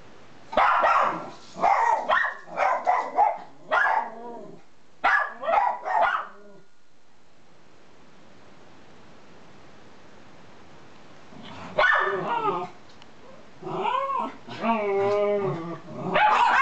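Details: Two Miniature Schnauzers indoors: one grumbling low while another, in a red collar, gives very high-pitched barks; bursts of sharp repeated barks for the first six seconds, a quiet pause, then whiny, wavering high yelps and barks returning.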